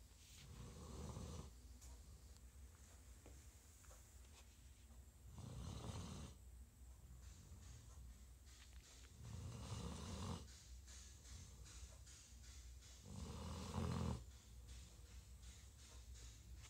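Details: A tired bloodhound snores in deep, rumbling breaths, each swelling snort coming about every four seconds.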